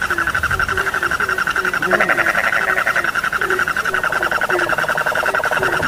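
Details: Night frog chorus with regular short croaks and a dense pulsing high trill, a sharp knock sounding near the middle.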